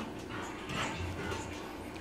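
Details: Lula, a Saint Bernard excited about going out, lets out a brief whining bark that rises then fades, with Spanish speech just before and after.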